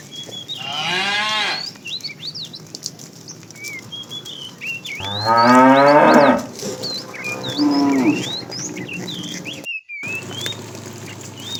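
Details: While a tame herd is being herded in the afternoon, a fat cow calls the female with three moos: a medium one, then a longer, rougher one, then a shorter, fading one. Many birds chirp around them.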